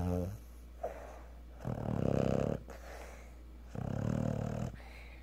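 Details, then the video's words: Cocker Spaniel snoring after a hard day at the park; two long, rough, rumbling snores separated by quiet breaths, over a low room hum. "Snoring Cocker spaniel!"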